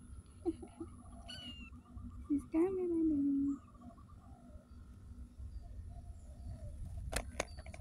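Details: Street cat giving one drawn-out meow lasting about a second that slides gently downward in pitch, preceded by a short faint mew, with quiet human voices and a sharp clatter near the end.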